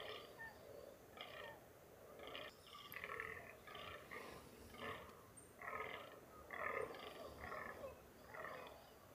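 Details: During the rut in mountainous NSW, Australia, free-range fallow deer utter a steady sequence of guttural, belch-like groans, roughly one per second, over quiet outdoor ambience.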